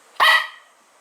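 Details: The dog Bun, said by rumour never to bark, produces a single clear, loud bark with a bright, ringing tone that trails away over a few tenths of a second.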